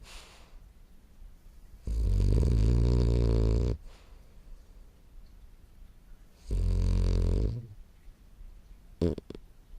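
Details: Morio, a French Bulldog aged 10 months, asleep and snoring: two long, deep, rattling snores almost two seconds and one second long, about five seconds apart, then a brief snort near the end.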